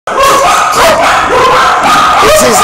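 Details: Puppies calling loudly and continuously, several overlapping high whines and yips wavering and rising, with no pause across the stretch.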